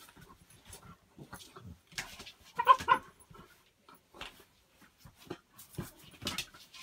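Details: Beagle puppy and a Labrador left alone together in a hallway during a Christmas party; one sharp, high, tonal whimper-yelp stands out midway, among soft scattered thumps and scrabbling sounds.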